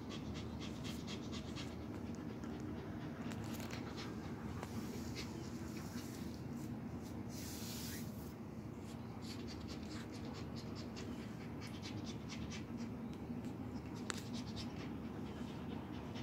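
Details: Rescued Malaysian mongrel puppy Aryan, male, three months old, from Damansara Damai in Selangor, breathes in fast rhythmic huffs that come in runs and pauses, with a soft rustle and one sharp tap near the end.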